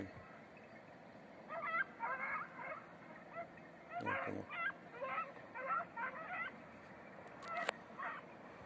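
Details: Beagles training on hare on the island of Crete, 2021, red-blue tick and lemon-white coats: distant yelping bays in separate bursts about every half second to a second, over a steady hiss with one loud thump.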